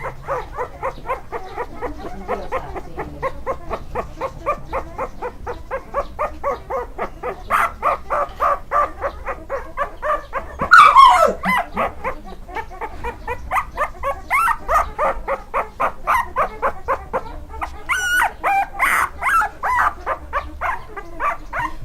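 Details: A Staffordshire Bull Terrier puppy at a breeder in Thailand yaps in quick, high, steady bursts, about four a second.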